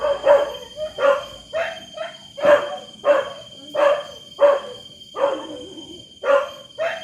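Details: A dog gives loud, hoarse barks about once per second, each a short rough burst with a few quick doubled yelps between; a steady high-pitched tone continues behind.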